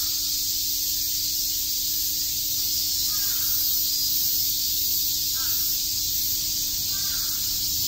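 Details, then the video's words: Summer-day chorus of cicadas in Shakujii Park, Tokyo, an unbroken, shrill, high-pitched wash of sound, joined by three faint, brief lower calls from another creature. "Cicada chirps"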